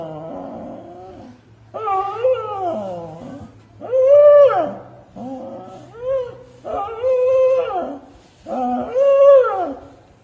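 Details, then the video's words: Companion dog 'talking', giving a run of drawn-out, wavering whine-howls that rise and fall, about six in ten seconds with short pauses between them, over a faint low hum in a quiet indoor setting. "Smart adorable companion dog and most of all he is talking"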